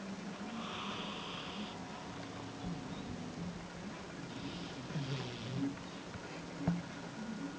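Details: A sleeping Sphynx cat snores quietly on a person's lap, each breath a low, rough rumble rising and falling in a slow, steady cycle, with a faint hiss of room noise behind.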